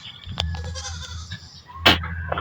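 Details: Domestic goats from a growing backyard herd, near an affectionate animal nuzzling an elderly person; faint, harmonic bleating through the first half, a sharp knock near the end, steady low hum underneath.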